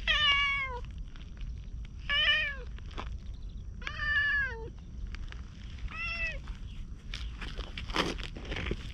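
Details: Orange tabby street cat 'talking' while following after a bit of petting, GoPro recording: four clear meows about two seconds apart, each rising then falling, followed by crackling footstep-like noises outdoors.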